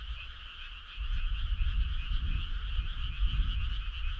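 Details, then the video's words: Midsummer-night frog chorus: steady overlapping trills hold two pitch bands throughout, while a low rumble grows louder after the first second. "Cool frog sound"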